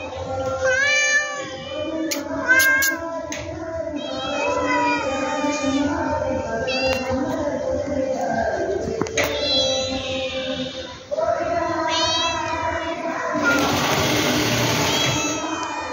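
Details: Cat calling repeatedly: a series of arched meows that rise then fall, some short and some drawn out, with brief sharp clicks between them and a hissy noisy patch near the end.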